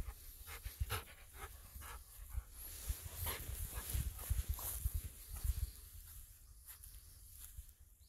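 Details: Golden Retriever Ibuki running through rice fields under a cloudy winter sky, panting hard: quick, breathy, rasping bursts repeated several times a second, over a steady low rumble of wind.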